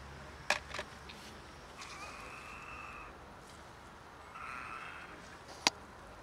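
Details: Stray cat, one of two in poor health, giving odd meows: two drawn-out, hoarse, level cries, each about a second long, with sharp clicks and knocks and a steady rumble behind.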